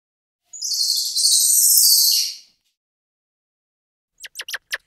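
A squirrel monkey gives a shrill two-second burst of high twittering chirps, then several short sharp squeaks.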